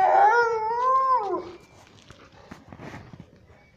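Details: Young French Mastiff, about two months old, kept indoors in Jabalpur, Madhya Pradesh, India, gives a long drawn-out whine lasting about one and a half seconds. The whine wavers, then falls away, followed by quiet rustling and faint background noises.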